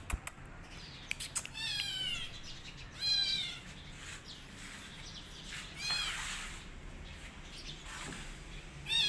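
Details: A kitten hiding in a jacket after running away mews repeatedly in high, wavering cries that bend up and down, coming every second or two, with soft fabric rustling between calls.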